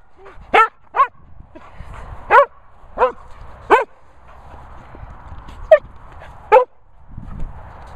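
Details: Sprocker Spaniel giving sharp, loud barks at irregular intervals of roughly half a second to one and a half seconds, seven or eight barks across eight seconds, with a faint steady hum between them.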